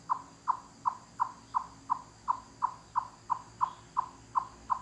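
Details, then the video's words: A forest chipmunk giving its echoing cluck-cluck call, like knocking on wood. Clean, evenly paced hollow knocks, about three every second, with little other sound. "Chipmunk Cluck Cluck Wood Knocking Sounds"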